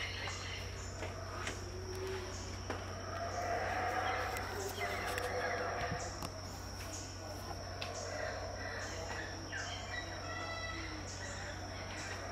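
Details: Howler monkeys at Tikal, Guatemala, in 2018, heard unseen during the dawn chorus at about 6am: distant deep roaring swells rise and fade under a constant high insect whine and a steady low hum.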